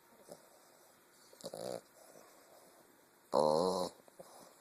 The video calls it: English bulldog puppy snoring